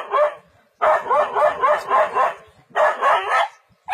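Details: In a forest, a dog stands firm against a leopard with quick runs of sharp, loud barks, two main bursts of several yaps, then a fresh one starting.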